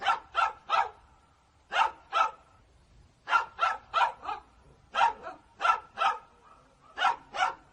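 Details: Angry dogs barking in rapid clusters of two to four sharp barks, with short breaks between the clusters and a steady, forceful delivery.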